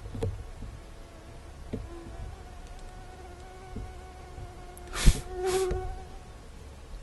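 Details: In summer in Sudbury, Massachusetts, mosquitoes give a faint, steady, thin whine that hums on through the whole stretch, with two sharp slaps or bumps near the end and low outdoor rumble.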